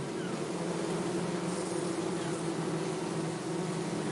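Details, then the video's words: Bee buzzing heard as a constant deep hum with strong steady tones, even in loudness, over a broad hissing background. "bee buzzing sound - zumbido de abelha"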